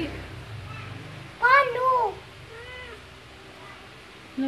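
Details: Newborn kittens just after birth: a thin, high mew rising then falling, quickly followed by a second wavering mew and a fainter short one, with people talking quietly nearby.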